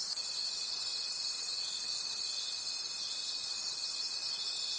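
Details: Forest at night filled with cricket calls, a high shrill chorus rising and falling in soft waves about every second, over a thin unbroken tone.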